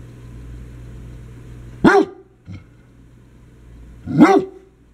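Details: Playful barking from one of three household dogs, a young dachshund, an old English sheepdog and a basset hound. Two loud, rough barks come two seconds apart, with a small thump between them and a constant low droning hum behind.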